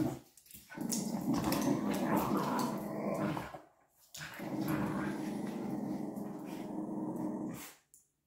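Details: Adult male and female pup Patterdale terriers in a playful tug of war give deep, continuous rumbling growls in two long bouts separated by a short gap, with rustling and scuffling noises throughout.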